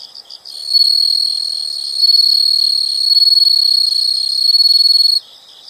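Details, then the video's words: Insects calling in a nature sound recording: a brief burst of high chirps gives way to a loud, sustained high-pitched trill with rapid pulsing that rises and falls in strength, then cuts off, leaving soft chirps. "the sound of insects"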